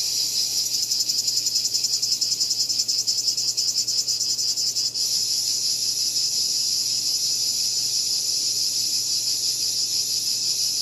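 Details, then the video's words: Shrill cicada calling: a rapidly pulsating buzz for the first five seconds, then a smoother, steady high-pitched drone continuing to the end. "Cicada Called || ឪរៃអើយរៃយំ"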